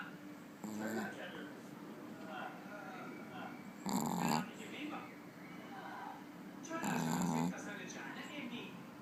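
A Pekingese snores in rough, rattling bursts about every three seconds.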